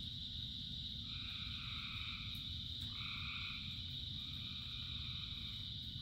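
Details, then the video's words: Massed frogs calling through rainfall, a constant high-pitched trill joined by long buzzy drones that shift up and down in pitch, with the low roar of rain underneath throughout. "Frogs in Rain 2 Hours of Frogs, Thousands of Frogs Singing"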